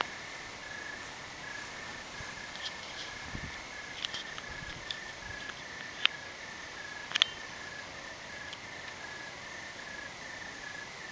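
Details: Night-time crickets on a cloudy evening keep up a thin, continuous high-pitched trill in pulsed segments, with scattered soft clicks and ticks over a quiet background.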